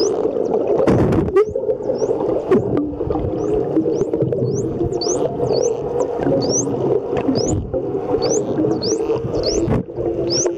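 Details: Underwater at Mikura Island, Japan, wild dolphins give rapid high rising whistles, each a brief upward sweep, as bubbles stream from the blowhole during a swim with people; dense gurgling water noise and bubble bursts lie beneath, recorded on a compact waterproof camera.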